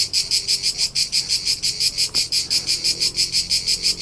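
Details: Cricket chirping in summer on Tuscan hillsides, central Italy, recorded during a road trip: sharp high pulses repeating roughly three times a second in a regular rhythm, one faint click partway through.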